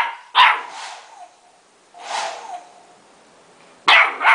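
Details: A female Golden Retriever puppy who dislikes the hair dryer gives short, bright barks and yips a second or two apart while her fur is being dried.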